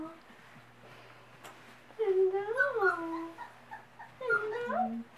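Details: Mother dog greeting her puppies after a quiet, hissy stretch: two wavering whines swoop up and down, the first longer and louder, the second shorter with a falling tail, over a low constant hum.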